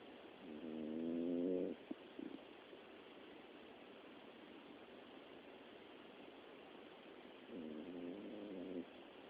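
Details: Miniature Dachshund snoring, a dog that often snores day and night; two drawn-out, tonal, buzzy snores of about a second each, near the start and near the end, with quiet steady hiss between breaths.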